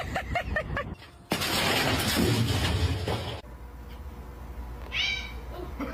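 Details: Domestic cat meowing: a quick run of short harmonic meows, then a loud burst of broad noise, and a higher, rising meow near the end.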